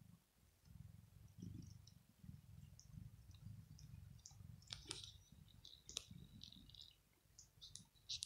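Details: House cat perched on a bed in the morning, sitting on his paws and cleaning his fur with his tongue. Low soft rubbing continues throughout, and a few crisp wet clicks and smacks stand out near the middle and end, indoors and quiet.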